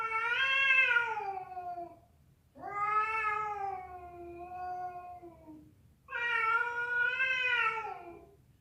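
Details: Cat fight with a female calling to a male: three long harmonically rich yowls, each starting loud and sinking in pitch as it fades, with short gaps between them.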